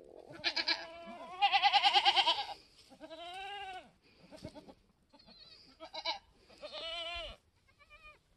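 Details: Mini Alpine goat buckling, an F4 kid only minutes old on a homestead, March 13, 2021: a series of bleats, the first sharp and tremulous, followed by shorter nasal cries and a final wavering bleat, with brief gaps between.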